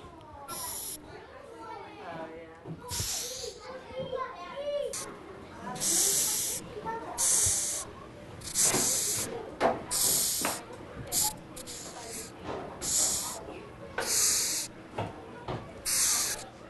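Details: Madagascar hissing cockroaches give sharp, airy hisses in quick bursts, forcing air out of their spiracles when afraid or fighting to warn off rivals and predators.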